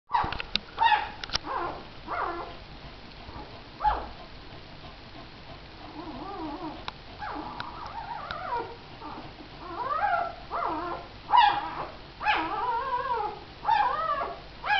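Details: Missy, a mother dog, with her four puppies. High thin whines and arched whimpers come in bursts, with rising and falling tones and a few short yelps. The cries grow denser in the second half, over a quiet indoor background.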